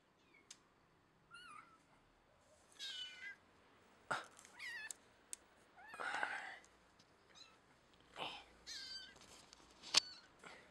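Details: Persian cat making several short, high meows and chirping mews scattered among sharp clicks and bumps indoors, the calls brief and varied in pitch, with brief broadband knocks and rustles between them.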